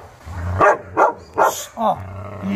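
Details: Chow Chow Maike at a training session on arrival; four evenly spaced short barks over about two seconds, with a low hum and faint voice underneath.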